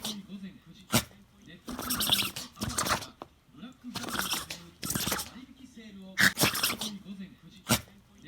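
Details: White Shiba Inu named Xiaotian indoors, sneezing over and over after heavy nosework with its nose pushed into natto; sharp, explosive bursts come about once a second amid steady human talking.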